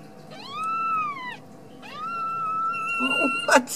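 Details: Ragdoll kitten raised indoors at a cattery in central Kansas, giving two long, drawn-out tonal meows, each rising then holding level before dropping, followed by a short rustling scuffle, in a small room.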